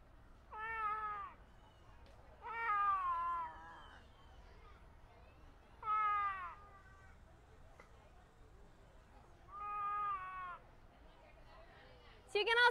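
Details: A male clouded leopard in a zoo habitat gives a series of harmonic, meow-like cries, each about half a second to a second long, while rubbing his cheek on mesh to scent-mark, signalling territory and readiness for food.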